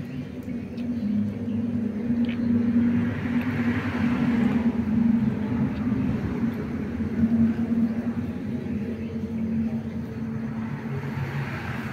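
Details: Steady vehicle rumble and outdoor traffic noise, with faint voices and no animal sound.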